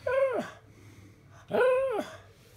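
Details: Pug teased with a souvenir baseball bat gives two drawn-out whining cries about a second and a half apart, each swelling and then sliding down, over a low indoor hum.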